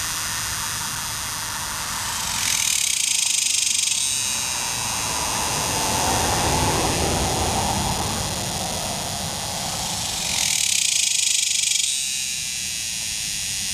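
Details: Male Tibicen superbus cicada calling from a tree along the Muskogee Turnpike, Oklahoma, on July 18, 2010, other males in the background and females laying eggs nearby; a continuous harsh, hissing drone swells louder twice, around three and eleven seconds.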